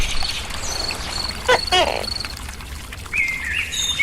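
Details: Tokay gecko, a crickets-fed captive forest gecko, utters one quick two-part call, a sharp note then a croaking harmonic tone, with high bird whistles before and after.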